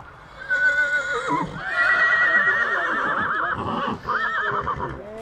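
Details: Stallion recorded at Satu Mare, Bucovina, in 2022, giving a loud whinny: a high, wavering tremolo held for several seconds, breaking off and resuming with rapid warbles before a falling end, faint voices behind.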